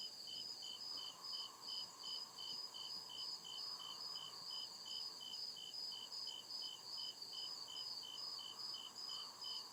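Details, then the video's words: Cricket song in the forest at night, crisp high chirps repeated in a steady rhythm above an unbroken shrill trill, and a faint lower drone surging softly at intervals. "CRICKET CHIRPING SOUND"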